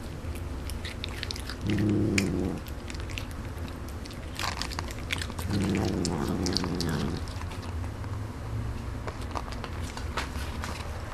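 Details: A Canadian Sphynx cat chews noisily while eating, with crisp clicking bites and two low, humming 'nom'-like murmurs.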